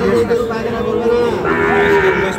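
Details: Sahiwal bull calves being sold at Ambari market, Dinajpur district, on Monday, 24 November 2025: a sustained, steady low moo that shifts pitch partway through, over busy market chatter.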